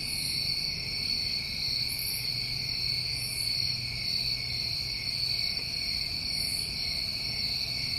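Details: A mass of crickets on a New England summer evening keeps up a seamless shrill drone, layered in two pitches. Faint airy swishes come and go above it.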